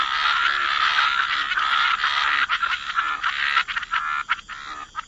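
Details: Many frogs croaking by the water, a thick continuous rasping chorus that breaks up toward the end into quick separate croaks.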